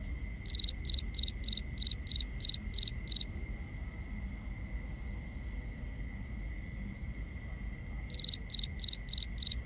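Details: Binaural nighttime cricket chorus: a rapid run of eight crisp pulsed chirps, then softer distant chirping, then another loud burst of chirps, all over a constant thin high-pitched drone.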